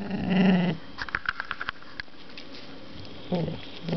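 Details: Female dog growling over a new knuckle bone to claim it as hers: low rumbling growls at start and end with a quieter stretch of clicks and small noises between.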